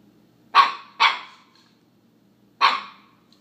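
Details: Alaskan Klee Kai puppy named Charlie barking indoors at a McDonald's cup, an object he has picked to dislike; two quick sharp barks close together, a pause, then a third bark, in an otherwise quiet room.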